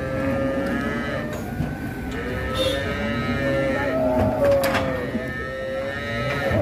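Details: Sacrificial cattle rampaging while coming down off a truck at Siyono Harjo market, Indonesia; several overlapping drawn-out harmonic moos rise and fall over steady crowd and vehicle rumble.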